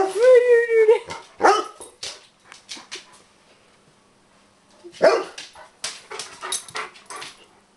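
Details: Bernese Mountain Dog, upset about the mail lady, gives a short wavering howl, then scattered yips and barks with quiet gaps between bursts.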